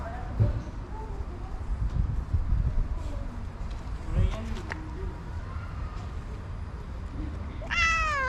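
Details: Cute orange stray cat making a coquettish sound on seeing the person who feeds it daily; one clear, rising-then-falling harmonic meow near the end, after low rumbling street noise and faint voices.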